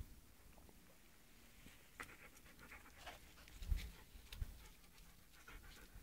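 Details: Gray poodle terrier panting: soft, breathy, noisy bursts at an uneven rhythm, louder near the middle of the recording, over a quiet low hum.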